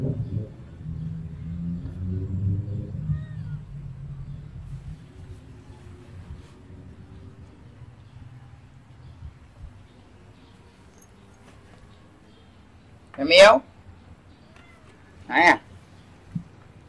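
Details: Cats and kittens eating rice with fish soup at a monastery in Siem Reap, Cambodia; after a stretch of low murmuring, two short, loud, bright meows ring out about two seconds apart near the end.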